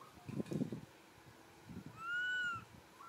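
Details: Baby monkey crying for its mother and asking for milk: after a burst of low rustling thumps, one drawn-out, arched, whining tonal cry that rises slightly and then falls, with faint harmonics above it.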